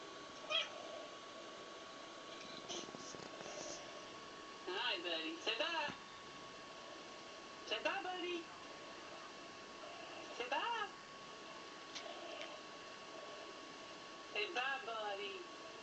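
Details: Domestic cat indoors while other cats play on a screen: a series of short, sharp meows in bursts every two to three seconds, over a steady electronic hum.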